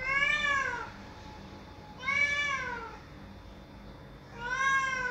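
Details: Pleading at a closed door, a cat cries out with three loud, wavering meows spaced roughly two seconds apart, each arching up and sliding down, in a small indoor space.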